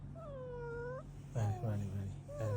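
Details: Cross house cat, kept from biting a phone cable, lets out a drawn-out falling meow followed by two shorter complaining meows, with a low steady hum in the room.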